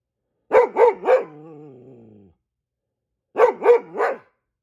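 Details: A Goldendoodle, set off by squirrels, gives guard-dog barks in two tight triplets, the first followed by a fading drawn-out whine, with a pause of about a second between volleys.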